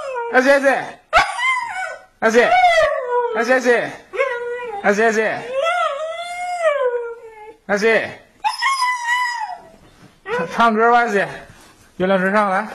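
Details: Husky during play, giving drawn-out howling, talking-like vocal sounds with sliding pitch, one long wavering tone in the middle, broken by short pauses; a human voice is mixed in at times.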